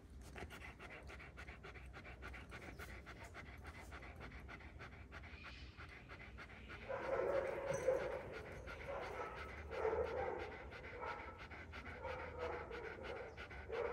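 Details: Kangal dogs, one year old, in Alanya, Antalya, Türkiye, on 24 September 2024. Fast, breathy panting runs steadily at about four breaths per second, then grows louder and rougher halfway through, with faint whiny tones mixed in over a low background hum.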